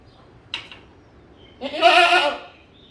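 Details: A goat gives a single loud, wavering bleat after a brief faint rustle.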